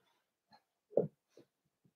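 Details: Cavalier King Charles Spaniel puppies in a home puppy pen on 12/13/22, during socialization with several older dogs and a first offering of puppy mash; one short, low snorting grunt stands out among a few faint, brief sniffs in a quiet indoor room.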